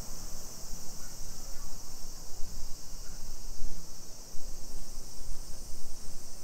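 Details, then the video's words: Summer cicada chorus along residential streets in Nisshin, Aichi Prefecture, Japan, 2 PM, 28 July 2021: a dense, continuous high-pitched hiss-like buzz without pauses, layered over a constant low rumble of footsteps and background traffic. "Summer Cicadas Sounds"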